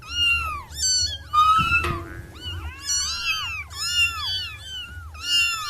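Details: Six cute wild kittens, orange among them, meowing together in a rapid overlapping chorus of high, arched, harmonic mews, several at a time, with one louder drawn-out cry mid-way and a low steady hum underneath.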